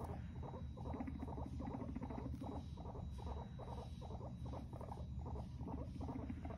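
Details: Guinea pigs during a fight make a throbbing, evenly spaced pulsing rumble of about two bursts per second against a low droning hum.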